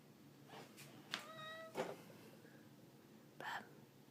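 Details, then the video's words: Ragdoll cat giving a short harmonic meow among clicks and bursts of noise, while a person talks nearby. "How Many Times Does Ragdoll Cat Charlie Meow in a Minute?"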